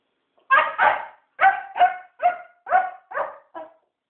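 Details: Puppy Rufus demanding play at night, a quick burst of seven loud, tonal barks, the first two nearly merged, then spaced roughly every half second and fading slightly toward a short last yip; small indoor room.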